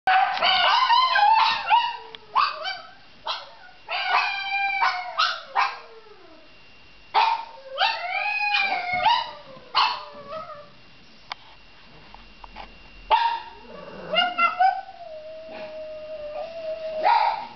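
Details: Cleo the dog, recorded on 21 December 2009, mixes sharp yelping barks with wavering howls. Short bursts come in quick clusters with falling, whining tails. After a quiet stretch, one long steady howl closes the sequence.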